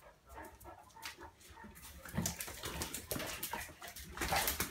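A Cane Corso whimpers and gives short, breathy vocal bursts that grow louder toward the end.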